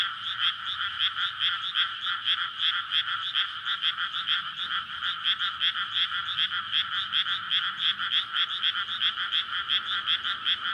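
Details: Frogs calling together at night in a water-filled rice field in May, a breeding chorus after leaving winter soil; unbroken loud pulsing croaks, fast and even, forming a thick buzzing rhythm throughout.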